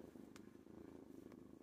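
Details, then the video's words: Kitten purring while lying in a person's lap: a steady, low, rumbling purr with a fast, even pulse throughout, plus two brief soft clicks. "purring in my lap."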